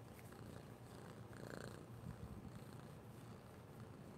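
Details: Close, continuous purring from an orange kitten seeking love and attention, a deep even rumble with faint breathy rustling on top and no pauses.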